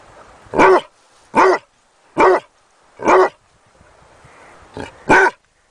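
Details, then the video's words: A Basset Hound puppy gives a run of six brisk barks, mostly evenly spaced about three-quarters of a second apart, the last two coming closer together. "SOM DO CACHORRO BASSET HOUND 🐶 EFEITO SONORO DE CACHORRO LATINDO 🐶BASSET HOUND PUPPY SOUND"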